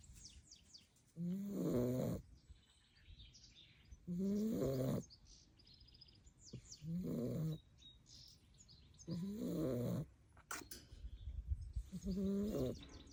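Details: A Staffordshire Bull Terrier puppy, asleep after playing hard all day, snores in loud, rasping bursts about every three seconds.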